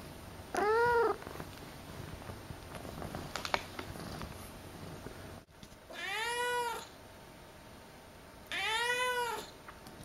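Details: Akari, a female pet cat, has just been woken from a nap indoors and gives three loud, drawn-out meows, each arching up then down, spaced about four seconds apart, with quiet handling sounds between them.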